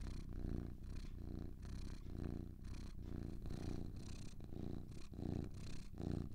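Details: Purring of two cats, a soft rattling drone that throbs in alternating in- and out-breaths, each swell lasting under a second, close and calm.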